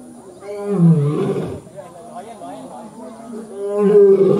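A lion gives deep, rasping roars with a falling, throaty tone.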